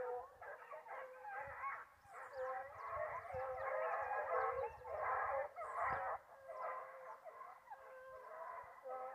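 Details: Foxhounds baying while hunting wild boar: dense, overlapping wavering howls run the whole length over a steady background hiss and low rumble.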